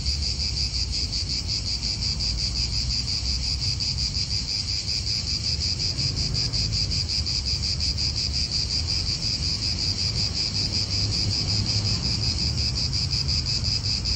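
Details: Cicada chorus in an Italian park, an unbroken high buzzing with rapid regular pulses, joined by a low roar of wind and faint nearby traffic.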